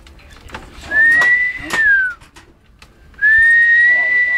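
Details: Bubble, a Siberian Husky, barking and howling in its own style: two long, clear, high howls, the first rising then sliding down, the second holding steady and slightly rising, with faint clicks and soft background noise between.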